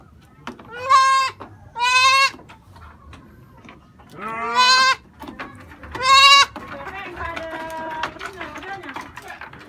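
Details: Goat kids calling eagerly as freshly cut grass arrives, like kids that have just found food: four loud, tremulous, harmonic bleats about one to two seconds apart, followed by fainter calls and background talk.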